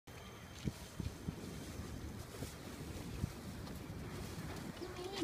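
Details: Outdoor wind buffeting and low thumps, with faint distant murmur, carry throughout and no animal call can be picked out.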